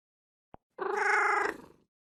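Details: Cat meow: a single steady, slightly buzzy call lasting about one second, level in pitch and fading at the end, preceded by a brief sharp click, with silence around it.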